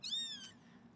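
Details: Kitten less than ten days old, newly arrived at a Los Angeles rescue, mews while being bottle-fed: one thin, very high cry lasting about half a second, level then fading, in a quiet room.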